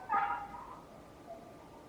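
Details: A neighbour's dog lets out one sharp, high yip that trails off into a fading whine, heard over a low steady hum.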